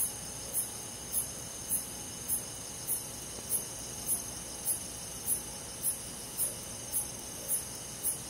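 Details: Crickets on a summer night in a forest, chirping in high, short bursts about every 0.6 seconds, layered over a steady, shrill insect hum from many callers.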